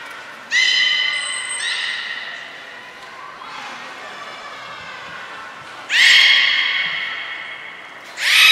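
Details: At Port of Nagoya Public Aquarium, Japan, on 10 February 2024, trained captive belugas Gray, Nana and Mirai give sudden, strongly harmonic, nasal tonal calls in three separate bursts, each sliding slightly and fading, with room echo between.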